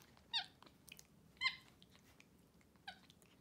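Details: Capuchin monkeys kept as pets, MonkeyXander and Ohana, during a morning oatmeal breakfast in bed at home; three bright squeaky chirps, each brief and slightly wavering, separated by quiet room noise.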